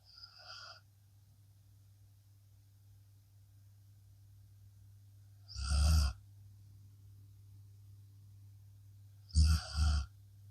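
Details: Blue Akita Inu dog fell asleep after a long day, snoring and relaxing; a few loud breathy snores come at long irregular intervals, one near six seconds and a double one near ten, over a steady low hum.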